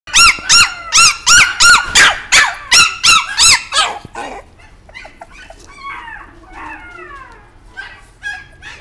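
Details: Chihuahua yapping in a rapid, even series of about a dozen high, arched barks over four seconds, followed by softer, scattered squeaky whines and yelps.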